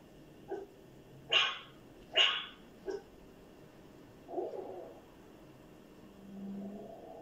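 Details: Dog giving two loud sharp barks and a short softer one, followed by a low muffled growl and a rumbling sound near the end.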